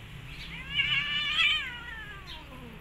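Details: Nursing mother cat annoyed by kittens biting her as they feed, striking back at them. She gives a drawn-out, wailing meow that swells, holds and then slides down, with a faint second cry near the end.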